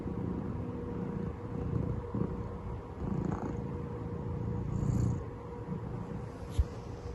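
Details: Domestic cat purring during a nap, disturbed by an aeroplane overhead: a soft, low, pulsing rumble, quieter and uneven, ending with a sharp click.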